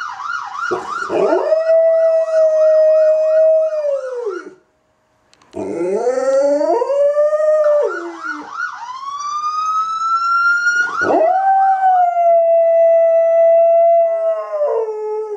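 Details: Kody the dog howling along to passing police sirens: sustained, level howls, one climbing gradually before falling away, broken by a brief silence, while an undulating siren wail sweeps up and down underneath.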